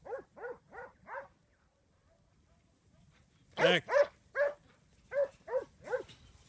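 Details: Syd, a 15-month-old Huntaway dog, after the command "sit sit": four evenly spaced sharp barks, a pause of about two seconds, then a louder run of barks in twos and threes.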